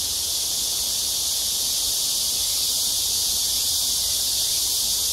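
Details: Summer cicadas calling at dusk along the Han Riverside, Amsa Ecological Park, Seoul, during a heat wave in July 2021; a loud, steady, high-pitched sizzling drone, seamless throughout with no pauses.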